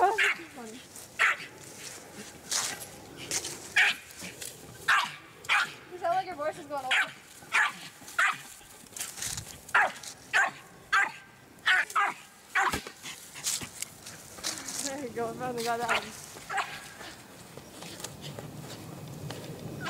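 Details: American Eskimo Dog barking rapidly and persistently, roughly one bark every half second for much of the stretch, with a couple of wavering whine-like vocalisations between bursts.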